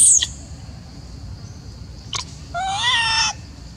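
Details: Upset macaque Elpida, jealous as old female Susie is fed within the Maha Nokor group, utters one clear harmonic coo lasting under a second, preceded by a high squeak and a brief click.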